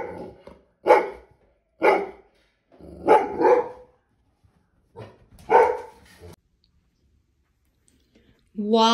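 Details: Zazu, a pet Labrador, barks excitedly at the neighbourhood cat while a German Shorthaired Pointer watches; several loud, broad barks spaced about a second apart, with a person talking and a brief high sound at the end.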